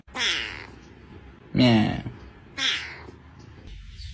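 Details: Domestic cat giving odd, weird-sounding meows indoors: three drawn-out wavering calls about a second apart, the middle one loudest and lowest, with people's voices and laughter around.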